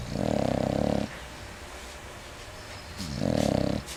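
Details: English Bulldog snoring loudly, two long rasping, buzzy inhalations roughly three seconds apart, each about a second long with a rattling, vibrating texture and quiet pauses between.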